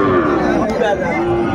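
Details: Sahiwal cattle at the Ambari livestock market in Netrokona, Bangladesh, on 8 November 2024, where farmers buy Sahiwal bulls; a brief harmonic lowing under steady crowd chatter.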